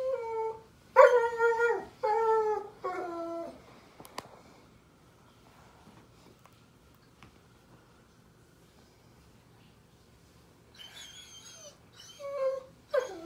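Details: Indoors at bedtime on 15 May 2021, a German Shepherd puppy cries with three drawn-out, falling whines, then goes quiet for several seconds before resuming with higher, thinner whimpers.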